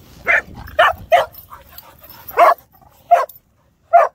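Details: Pet dogs, whippets and cockerpoos, playing loose on a beach; sharp, mid-pitched barks come in an uneven run of about six within four seconds, with short gaps and faint low rumble between them.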